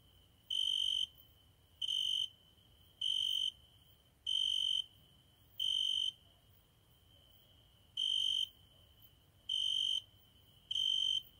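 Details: Night song of a cricket heard at a window, with eight shrill, even trilled pulses of about half a second, repeating roughly every one to one and a half seconds, with a soft low hum beneath.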